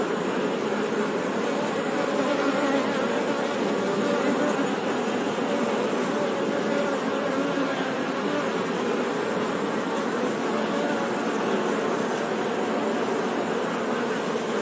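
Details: Honey bee buzzing as a constant, many-layered drone, low humming tones over a broad whirring wash, never pausing or changing in strength, without other distinct sounds.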